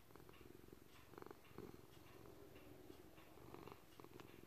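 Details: Senior gray-blue male house cat kneading and purring indoors: a continuous low rumbling purr with a slightly pulsing texture, broken by soft clicks and rustles. Clocks tick and traffic can be heard faintly.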